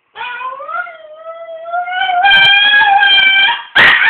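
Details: Pet dog at home howling in response to a ringing phone: a long sustained howl with rich harmonics, rising slightly, then swelling louder and more strained before breaking into a sharp yelping burst.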